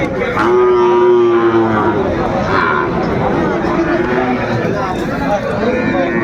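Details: Sahiwal bull calves at Aftabganj cattle market, Dinajpur, Bangladesh, early on 2 September 2025: a long, level moo in the first two seconds, then fainter lowing beneath busy human talk and market bustle.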